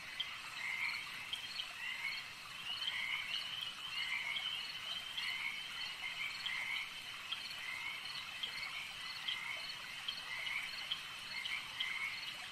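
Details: Chorus of frogs at a lake: short trilled croaks repeat roughly every second above a constant high-pitched drone, many callers overlapping with no pause across the whole stretch.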